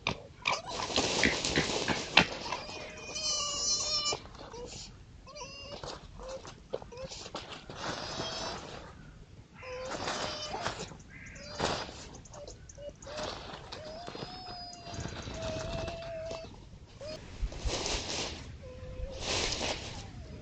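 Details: Red foxes at night on a woodland edge surrounded by fields in East Sussex, recorded by trail camera on 26 October 2025, possibly playing or fighting; series of short, plaintive whining cries with wavering pitch, mixed with rustling and scuffling noises.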